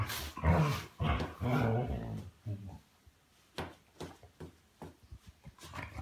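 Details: Bedtime play between a six-year-old Weimaraner and a one-year-old Vizsla: low grumbling growls for about two seconds, then quiet scuffling, shuffling and soft thumps.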